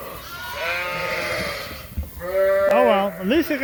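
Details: Suffolk lambs loose together in an Ewetopia Farms barn after a gate was left open: a long wavering bleat, then a sharper cry whose pitch swoops up and down in quick wobbles.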